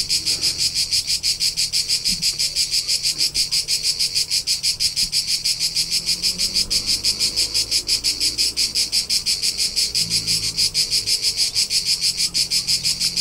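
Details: Crickets in the rolling hillsides of Tuscany, central Italy, in summer chirp in a steady, high, pulsing trill of about three chirps every second.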